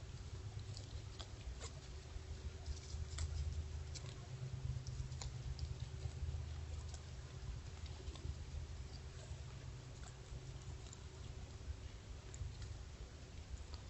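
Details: A white-tailed doe grazing noisily in Montana: crisp clicks and tearing bites come quickly and unevenly over a steady low rumble.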